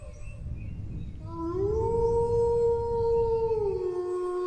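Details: Dog howl after a second of quiet rumble: a smooth rising note levels off into a long, pure, sustained tone, then drops slightly at the end, with rich overtones.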